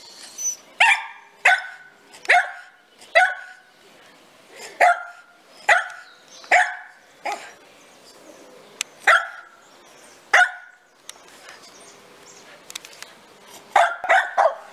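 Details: Toy Poodle playing, giving a run of sharp, high-pitched barks, roughly ten in the first ten seconds at uneven intervals, then a pause with faint rustling before two more quick barks at the end.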